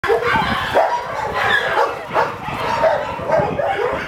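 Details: Three Rottweilers, a father and his offspring, give excited, high yips and short barks mixed with whines, greeting a volunteer affectionately and playing wildly.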